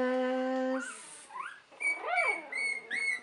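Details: Three-week-old puppies of Buttercup, 2015: a voice speaks first, then high rising-and-falling whines arc upward, followed by a run of short squeaky whimpers repeated about every half second.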